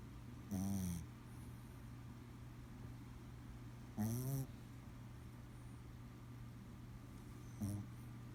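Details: Chihuahua asleep and snoring, three deep rasping snores spaced about three to four seconds apart, each lasting under half a second, over a constant low hum in an otherwise quiet room.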